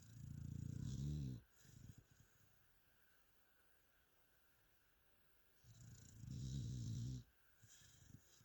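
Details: Mia the dog snores in her sleep: two deep, vibrating inhaled snores about five seconds apart, each lasting over a second, with softer breaths trailing after them in a quiet room.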